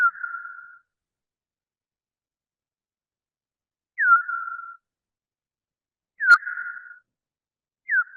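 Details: Pitched-down echolocation of a big brown bat, recorded by a bioacoustic monitor on the Wampanoag Common Lands as it hunts: four downsweeping chirps flattening into brief tails, spaced about two seconds apart, with one sharp click between, against silence.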